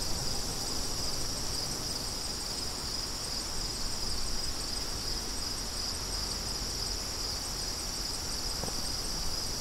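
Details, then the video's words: Chorus of crickets, an unbroken high trilling band with soft pulses, laid over steady gusty wind noise from beginning to end. "Crickets & Wind"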